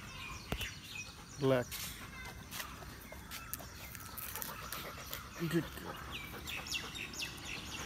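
A Rottweiler gives two deep, gruff barks on a guard command, a few seconds apart.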